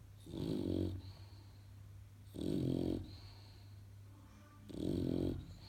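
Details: Dollar, a little English Bulldog puppy in Portugal, asleep and snoring: three loud, regular, gravelly snores about two and a half seconds apart, each a rough buzzing rumble lasting near a second.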